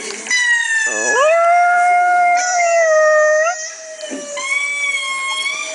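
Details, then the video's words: Female Chihuahua indoors howling back at lemur calls played on a laptop: long, steady, tonal howls with rich overtones, sliding up at the onset, a wavering yelp near the start, a brief dip and then a second sustained howl. "Chihuahua Howling at Lemurs Calling"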